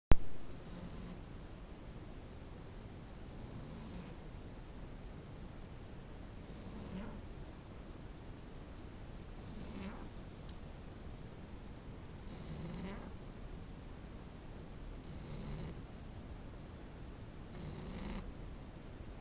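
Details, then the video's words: French Bulldog puppy snoring, soft raspy breaths repeating about every two and a half seconds, seven in all, each with a faint hissing edge over a quiet indoor background. "snoring french bulldog puppy"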